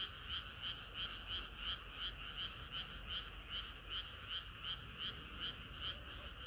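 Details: On a hot summer night frogs sing in chorus; clear, evenly spaced bright croaking pulses about three per second stand out over a softer bed of overlapping calls and low hum.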